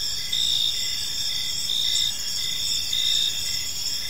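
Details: Gentle chirping of crickets in a serene park at evening: sustained high trilling layers, with louder swells about every second and a lower pulsed chirp repeating underneath.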